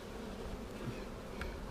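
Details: Honey bees in a split hive, seven days after dividing with a double screen divider board, during a March 10, 2019 check for queen cells and eggs. A continuous low hum of the mass of bees, one faint tap, and a thump at the close.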